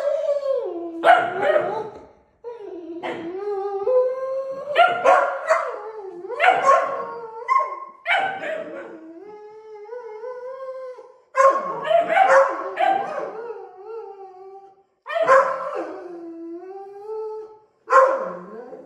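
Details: Deutsch Drahthaar puppy in its third week of bench training, indoors: drawn-out, wavering howls rising and falling in pitch, broken by sharp yips and barks in bursts every two to three seconds, with short silent gaps between.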